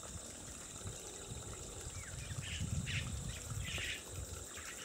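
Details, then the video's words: Feral wild boar foraging next to a water hole in New Zealand: low, crunching chewing and rustling in uneven bursts, with brief bird chirps and a steady high insect buzz behind. "Wild Boar munching at a water hole NZ"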